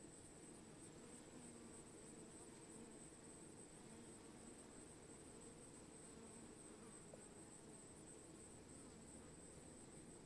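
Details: Steady droning buzz of bees, low and layered, unchanging throughout, with a faint constant high whine overhead.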